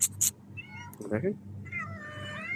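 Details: Three house cats in Qatar run up begging for food as their owner returns from work. Rising then falling harmonic meows, one short and one longer, are mixed with a man's voice and a couple of sharp clicks.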